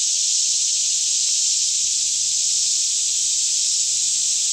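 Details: Forest cicadas near Franklin, Kentucky, in a daytime chorus at about 10am with little wind, captured on a Canon 5D Mk2; an even, sizzling high-pitched buzz fills the air without breaks, with a faint low hum.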